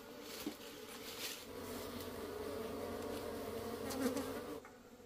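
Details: Wild honey bees taken from the forest to be tamed and kept on a farm for honey: a dense, continuous swarm buzz that swells slightly before dropping off at the end, with a few scraping knocks.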